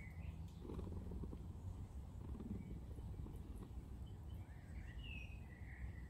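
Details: A friendly male British Shorthair neighbourhood cat gives a steady, low rumbling purr while seeking cuddles outdoors, rolling on sidewalk stones.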